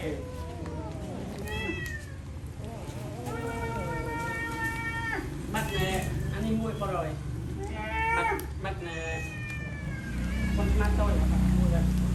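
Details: Several hungry cats eating rice, giving repeated harmonic meows, some rising and falling, many in quick succession, over steady low background noise and people speaking Khmer.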